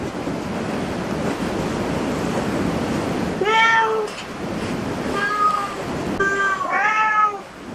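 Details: After several seconds of steady hiss, a cat in a cat cafe meows three or four times in quick succession, short tonal calls with bright harmonics, the last one bending upward.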